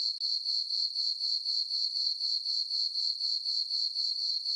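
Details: Night chorus of crickets in a summer meadow on a farm under a full moon, a piercing high-pitched ringing that beats in a regular rhythm of roughly four pulses per second, nothing else audible.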